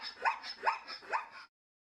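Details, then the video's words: A zebra gives three quick, rising, yelping barks about half a second apart, each sliding upward in a hoarse squeal. "Got your answer? Today's Name That Sound is a zebra."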